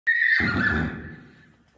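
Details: Akhal-Teke horse, a registered purebred born and kept at a breeding farm in Dubna, Moscow region, Russia, gives a short whinny: a bright, shrill squeal that breaks into a rough, rumbling tail and fades out in under two seconds.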